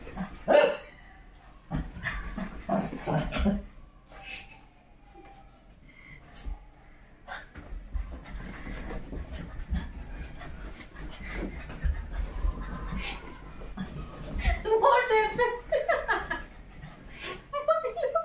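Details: Shih Tzu. A Shih Tzu yaps in fast, irregular bursts of sharp barks, some rising into whiny yelps. A person's voice can be heard faintly underneath.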